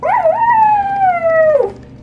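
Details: A pet toy poodle gives a long, tonal howl that rises briefly, then slides slowly downward before breaking off, singing along to a person meowing at it.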